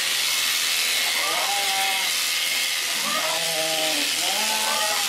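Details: Babydoll sheep visiting during a shearing session, giving a few wavering harmonic bleats about a second apart, rising then falling in pitch, over a steady loud hiss of broadband noise throughout.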